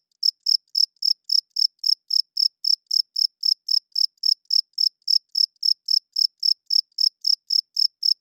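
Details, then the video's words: Cricket at night producing a regular series of piercing high chirps, close to four per second without a break, with a quiet background throughout. "40 Minutes of Cricket Chirping Sounds - Cricket klinkt 's nachts luid"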